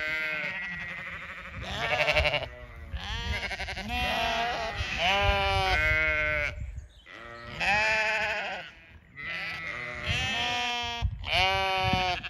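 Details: Several Zwartbles ewes at a County Kilkenny farm in Ireland call out at evening feed time, bringing the flock galloping from a distance; long wavering bleats in bursts separated by brief pauses, voices overlapping.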